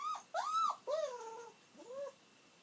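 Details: Aged pet dog Kiri whines as she waits for her master's return. Four loud, drawn-out tonal whimpers rise and then sag in pitch, rich in overtones, following one another closely with brief breaks.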